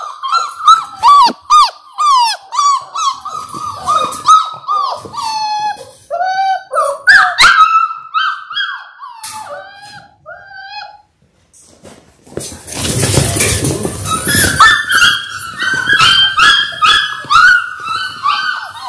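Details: Six-week-old Labrador Retriever puppies, six in a litter born January 18, 2022, kept indoors: rapid high whines and yelps repeat in bursts, pause, then resume over a loud rustling noise.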